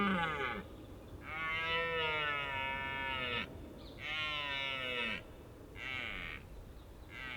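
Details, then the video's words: Red deer during the rut in Richmond Park: three drawn-out, hoarse bellows of one to two seconds each, their pitch sliding downward toward the end, with a steady faint rushing background between them. "Capturing the Red Deer Rut"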